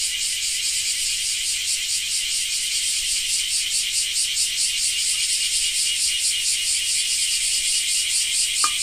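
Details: Japanese cicada chorus: a loud, sizzling high-pitched buzz with a rapid pulsing rhythm of about two beats per second, one short click just before the close.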